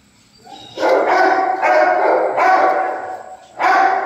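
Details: Dogo Argentino voicing four loud, drawn-out tonal barks, each lasting close to a second, the first three running almost back to back and the last following a short pause; rich harmonic, howl-like quality with no other clear sounds.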